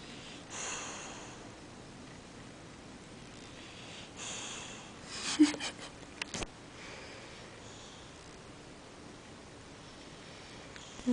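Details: Bulldog named Cartman napping in the afternoon during a belly rub, fast asleep: soft breathy snores and snorts in a quiet small room, with a few rustles and clicks and a brief sharp bump midway.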